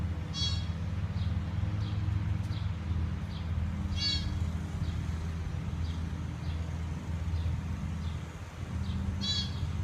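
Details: A newborn deer, just born beside a house and separated from its mother in the neighbouring yard, gives three brief, high, nasal bleats several seconds apart over steady wind rumble.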